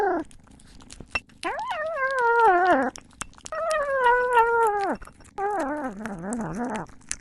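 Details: Cat while eating gives a faint falling mew, then two long, wavering meow-like cries and a lower, quivering murmur, with scattered soft clicks between them.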